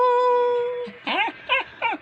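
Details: Household dog vocalising back to its owner: the tail of a sustained flat howl, then three short, bending, yelp-like whines about a third of a second apart in a quiet indoor room.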